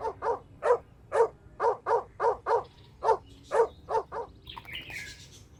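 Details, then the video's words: Puppies playing outdoors in a toy battle with their mother dog; short yappy barks repeated about twice a second, then a few softer, higher squeaky sounds at the end. "Funny Barking Sounds"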